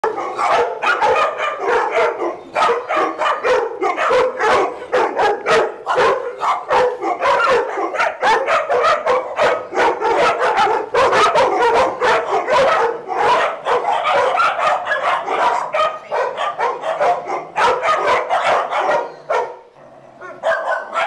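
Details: Dogs playing together at Doggie Oasis Day Care, barking continuously in a dense chorus of sharp overlapping barks and yips across the whole stretch, with hardly a pause between them.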